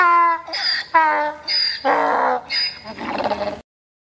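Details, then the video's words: Donkey at Dhaka Zoo standing in the rain, giving a few strained, tonal honks that break into rough, noisy rasping bursts before stopping abruptly. "Donkey Drenching in the Rain at Zoo With Real Sound"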